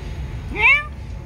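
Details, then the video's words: Cats called to breakfast: one short meow, sliding up then briefly down, bright and harmonic, lasting under half a second over a low background hum. "come on breakfast all cats"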